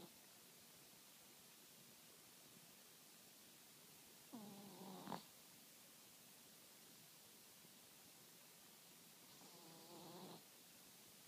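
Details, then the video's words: Asleep, a Chihuahua lets out two raspy, buzzing snores about five seconds apart, each a harmonic wheeze lasting roughly a second and ending in a short sharper catch, with a soft steady hiss in the quiet room. "Snoring Chihuahua"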